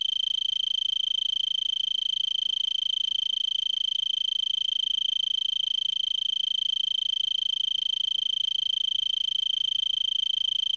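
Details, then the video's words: Arizona tree cricket in a brittlebush in Vail, Arizona, at 3300 ft, December 26, about 5 PM before sunset, about 70°F, already singing for an hour: a steady, high, unbroken trill at one pitch. "Arizona Tree Cricket 1"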